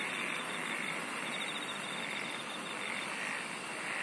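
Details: Insect chorus with a rapid, evenly pulsed high trill running through the first half, over a continuous dense buzzing hiss that holds steady to the end.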